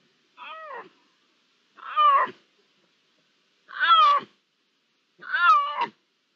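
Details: Four loud, clear Iberian lynx meows, each a rich harmonic cry bending upward then falling, spaced roughly one and a half seconds apart against a quiet background; recorded 16 June 2023, with perhaps one, two or three lynxes present.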